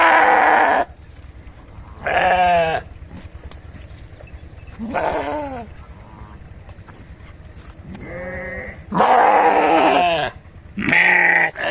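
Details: Repeated sheep bleats, short and wavering, some sliding downward, six cries spread through the recording with quiet hum between them.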